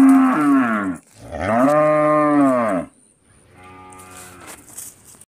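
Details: Two loud, resonant moos from an Indian cow, the second longer and arching in pitch, followed by a quieter, fainter lowing call trailing off, with some clatter and a thin high hiss behind.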